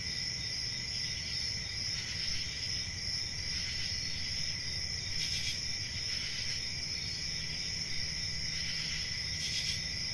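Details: Cricket chorus of constant high trilling, punctuated every couple of seconds by brief louder bursts of chirping, with a soft low rumble beneath.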